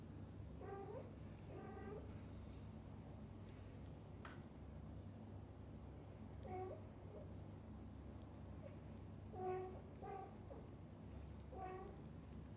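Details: Domestic cats in a family group, a mother cat with her kittens and the father cat staying beside them indoors; short harmonic mews come in pairs and singles spread across the stretch over a steady low hum.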